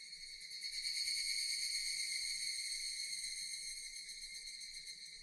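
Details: Japanese cicadas in relaxing nature, producing a loud continuous metallic drone with a quick regular shimmer, rising early on then staying level to the end.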